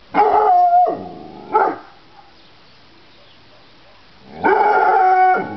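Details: Female dog giving drawn-out, tonal barks: one long call, a short one, then a long final one after a pause of silence.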